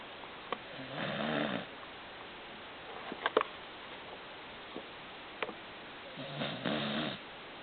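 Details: Pet dog Baron sound asleep indoors, snoring with a rumbling sound. Two long harmonic snores about five seconds apart, each lasting under a second, with faint clicks and rustles between them in a quiet room.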